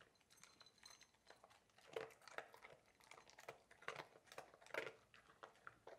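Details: Mealtime for Coco, a Labrador Retriever, indoors: fast crunching and chewing mixed with clinking against a food bowl, dense clusters of sharp clicks and a few louder bites near the middle.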